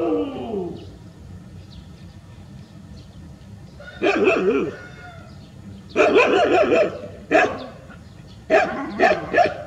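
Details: Rural street dogs gathered in a big group in a village street; a short whining call opens, then loud bursts of harsh barking arrive in clusters near the end, several barks close together.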